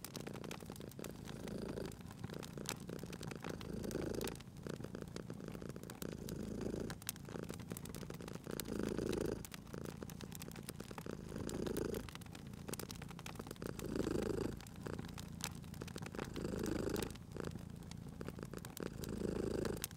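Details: Sleeping pet cat by a fireplace, its deep rumbling purr swelling and fading in breath cycles roughly every two and a half seconds, with constant crackling and popping fire over it.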